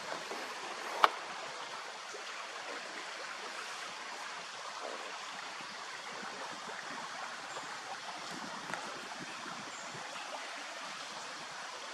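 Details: Even rushing hiss like flowing water, broken by one sharp click near the start; no animal calls.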